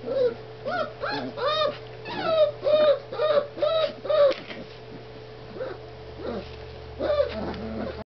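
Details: Playing puppies four weeks old: a run of high, wavering whimpers and squeals repeated about twice a second, then a pause and a few scattered yips, with a constant low hum underneath.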